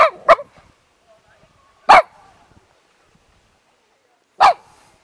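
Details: Japanese Spitz dog barking: a quick sharp double bark, then single loud barks at about two and four and a half seconds, with near silence between.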